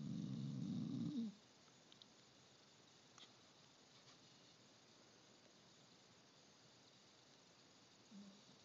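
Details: Pet dog Indiana Boo, said to snore louder than anyone, gives one deep, rumbling low snore lasting just over a second, then near silence with faint clicks before a softer snore begins at the very end.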